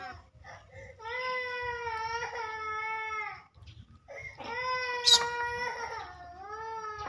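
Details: Small monkeys hit and robbed by bigger pet monkeys give long, sustained, crying screams rich in overtones, two drawn-out wails separated by a brief gasp, the second sliding downward at its end.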